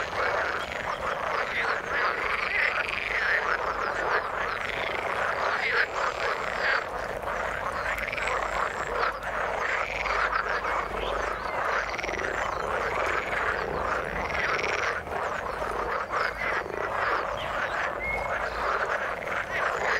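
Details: Frogs in the water keep up a steady, dense chorus of rasping croaks, with curved rising-falling calls recurring every one to two seconds across the whole stretch.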